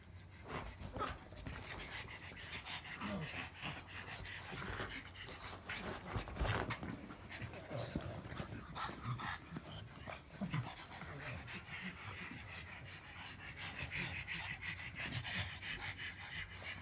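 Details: Pug making a long run of low grumbles mixed with snorting breaths and panting, rising into louder throaty bursts around the middle, with faint speech in the background.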